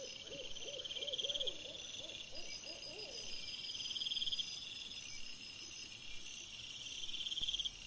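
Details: Wild boar piglets filmed by a trail camera on 26 August 2024: a quick run of about ten short arched squeaks, rising then falling, spaced a few per second over the first three seconds, beneath a loud, steady chorus of crickets.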